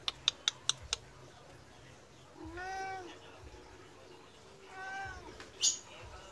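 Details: Medium Persian cat meowing to beg for food though it was just fed, acting almost angry: a few sharp clicks open, then two drawn-out, rising-then-falling harmonic meows a couple of seconds apart over a quiet background.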